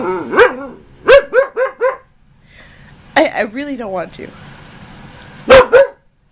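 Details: A nearly one-year-old female husky named Ankita talks back during an argument with her owner, giving a quick run of short, arched yips, then a wavering mid-pitched moan and two final yelps, with the owner's voice faintly heard.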